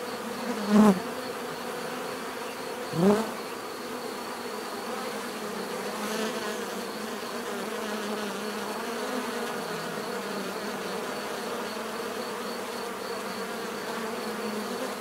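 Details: Natural buzzing of bees: a continuous low hum throughout, with two loud close fly-past buzzes near the start that swell and fade within a second, then a calmer even drone.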